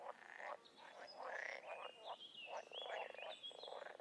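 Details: A chorus of wild frogs and toads, made up of rough croaks and fast pulsed trills, with a high whistling tone running through the middle and end.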